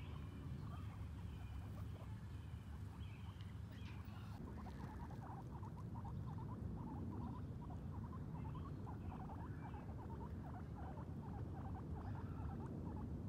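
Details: Two guinea pigs, Sheik and Penny, on their first time outside, exploring and eating grass; a run of short, soft, rapidly repeated low chirps and clicks after a brief rustle, over a steady low rumble of outdoor background noise.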